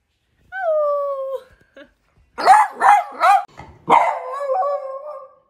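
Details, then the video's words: A young female lemon Beagle, recorded between 2 and 10 months of age, gives a drawn-out yelping bay, then three quick barks and a long howling bay. "Cute Lemon Beagle Puppy Bark 2 Months To 10 Months"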